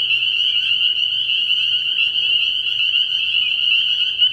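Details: Early-year night chorus of spring peepers from a frog pond: a continuous, piercing high-pitched wall of overlapping peeps with no pauses, steady in loudness throughout.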